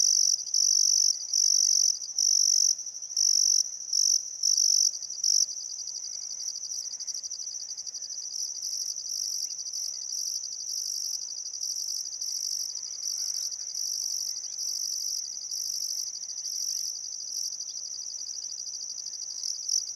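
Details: Riverside crickets in Welford National Park on the Barcoo River, Outback Queensland, Australia, at sunset in summer: pulsed high chirps for the first five seconds, then merging into an unbroken shrill buzz, with faint bird calls mixed in.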